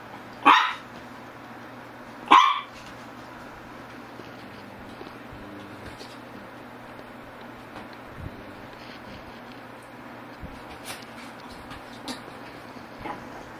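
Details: Two sharp barks from a Shih Tzu about two seconds apart open the recording, then a long stretch of low hum with faint scattered knocks and clicks.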